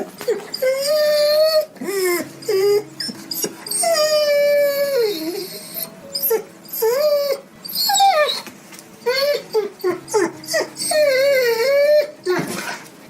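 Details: Hungry dog crying: many short, bending whimpers and longer sliding whines, some falling sharply in pitch, in quick irregular succession with scraping noises between.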